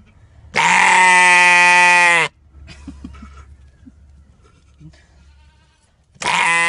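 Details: A goat gives a loud, harsh, drawn-out scream, then a second after a quiet pause; described as his intimidation noise, as if scaring others away.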